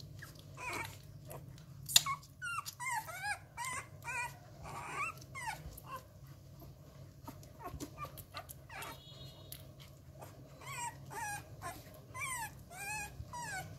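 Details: Rottweiler puppies, 11 days old, at a kennel, hand-fed because their mother lacked milk, hungry before feeding and sucking at a finger: many high, squeaky rising and falling whines in rapid overlapping bursts, with sucking and smacking noises and a brief woman's voice.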